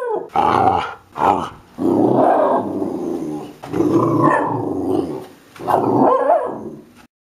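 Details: Pet Kelpie puppy vocalising: several long, rough growl-like moans, each one to two seconds, with brief gaps between them, rising and falling in loudness, in a quiet indoor setting.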